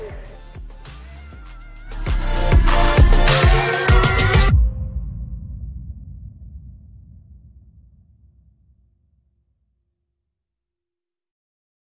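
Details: Electronic music with heavy bass swells for about four seconds, then fades away into silence, with no animal sound heard.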